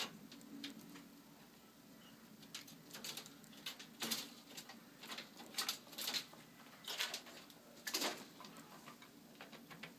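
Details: Squirrel with the hiccups giving soft, sharp ticking hics, about one a second and unevenly spaced, some louder than others, over faint steady background hiss.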